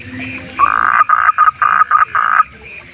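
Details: Close wild frog at night gives a burst of six rapid, rasping croaks, the first and last slightly longer, over a quiet background chorus of distant higher pulses.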